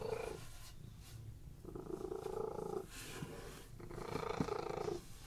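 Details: Domestic cats resting on a bed and purring in a relaxed state, a deep vibrating rumble coming in long swells of about one second separated by softer pauses.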